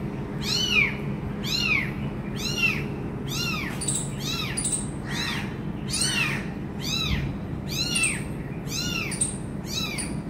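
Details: Kitten left alone near its injured mother cries in a regular train of arched, high meows roughly once per second, with a faint steady hum underneath.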